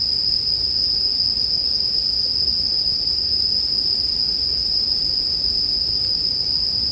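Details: Bell crickets singing with bonfire sounds, mixed as sleep background music: a steady, unbroken high ringing trill holding one pitch throughout, over a soft, grainy low rumble.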